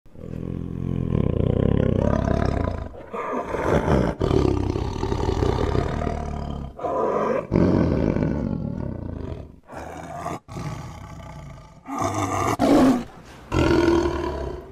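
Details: Tiger roaring: deep, rough, low-pitched roars come in long bursts of a few seconds each. Brief silent breaks fall near 3, 4, 7 and 10 seconds, and shorter, higher-edged roars follow near the end.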